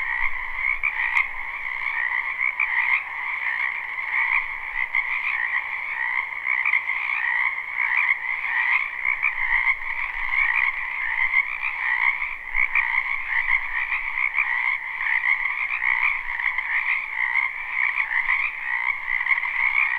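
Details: Frogs by the dozen croaking in a spring wetland, live take: a loud, even chorus of rapid trills in stacked mid and high tones, with one sharp click near the start.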